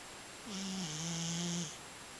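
A Scottish Fold cat snores with one long, low, droning breath and a soft airy hiss.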